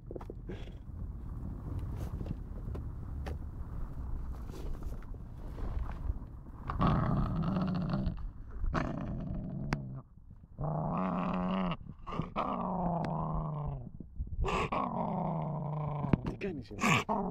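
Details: Female German Shepherd and Boxer mix puppy, 11 weeks old, street adopted, getting angry; low rumbling growls that rise into whiny, wavering snarls in bursts, with some background hum.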